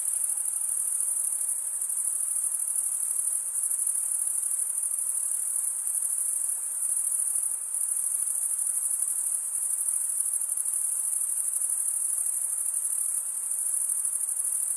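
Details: A thick wall of cricket chirping, males stridulating with serrated wing veins, rings high and constant, with brief momentary dips around seven and thirteen seconds before the trill resumes.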